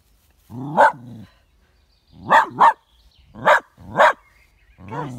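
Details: Partially sighted two-year-old male Westie Yorkshire terrier at home in Tain, Scottish Highlands, on a sunny day, barking at his own shadow after seeing it for the first time: loud sharp barks, a paired double bark, with low whining in between.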